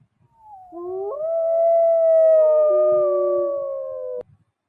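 A wolf gives one long, smooth howl lasting about three and a half seconds. It rises quickly, holds steady, then drops slightly near the end.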